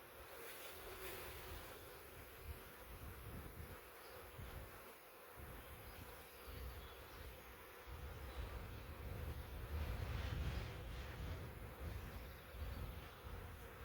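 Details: Massive honey bee swarm caught in a swarm trap, come from a wild hive living three years in the woods, bees balled up in the box; dense steady droning hum with a low rumble and rustling as the box is shaken.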